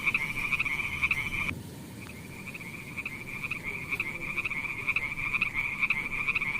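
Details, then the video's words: Frogs near wet mossy rocks where snails crawl, producing a fast pulsing trill at a steady pitch that cuts out abruptly, pauses briefly, then resumes and builds again with rhythmic swells. "Funny frog sounds"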